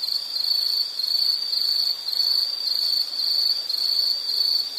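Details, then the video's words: Insect calling in a nature soundscape: a steady, high-pitched continuous trill holding one pitch, with gentle pulsing in loudness about once a second and a faint higher overtone band above. "Sound · Nature Sound of nature sounds scenery L · insect"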